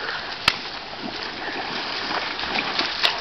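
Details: Steady splashing and rushing water with a couple of sharp clicks, with no animal voice heard.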